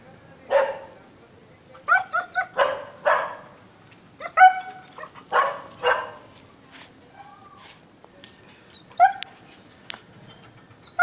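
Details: A long-coated German Shepherd gives a series of short, harsh barks, some breaking into higher yelps.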